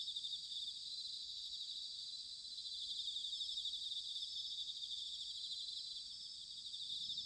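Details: Autumn insect chorus recorded in Sanuki, Chiba, Japan, where bell crickets were recorded: dense high shimmering trills from many callers at once, with a faint low rumble underneath.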